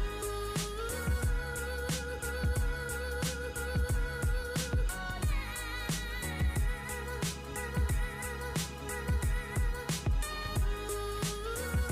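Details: Rhythmic music with a steady beat, bass and a sustained melodic line plays throughout, and no animal sound.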